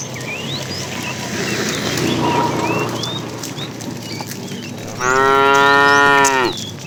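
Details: In a herd of tame cows moved along in the afternoon, a fat cow calls the female with one long, rich, steady moo near the end, after a stretch of chirping birds and faint rustling.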